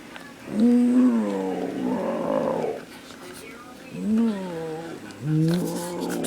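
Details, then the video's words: Ten-week-old Beagle puppy playing fetch, giving drawn-out, wavering vocal growl-howls with rising and falling harmonic tones, three bursts over six seconds, while a person talks to it about the ball. "Beagle Puppy Rage"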